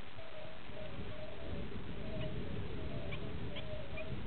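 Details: Bombina bombina, the European fire-bellied toad, with muted repeated hoots about every half second, partly masked by steady rumbling noise, and a few brief high pips later on.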